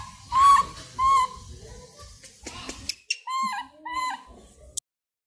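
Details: Plaintive, whistled squeals from a langur, two long cries followed by a run of shorter, falling notes and faint low murmurs, ending abruptly in silence.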